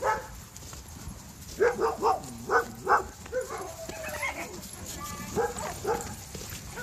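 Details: Barking at a bi-monthly play date of 92 German Shepherds plus one Aussie and one black lab, aged 11 weeks to 12 years, playing together. A quick run of five or six sharp, mid-pitched barks, then softer barks amid chatter of people.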